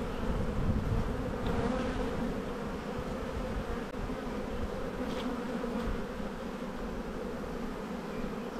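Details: Dense, even droning of a honey bee colony at a hive in the bee yard during spring buildup, with the first sign of a flow. The hum stays low and unbroken, with a few faint clicks over it.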